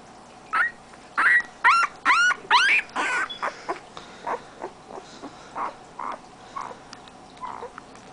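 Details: {'caption': 'Siberian Husky puppy from a 2010 litter giving a rapid series of high, rising-and-falling whimpering yips, about two per second, loudest early on and then fading into softer, shorter whines.'}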